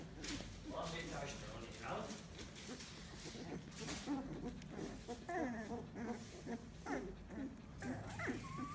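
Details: Fifteen-day-old Samoyed puppies, eyes opened only days ago and just starting to move and walk around, whimper and squeak in thin, wavering, rising and falling cries.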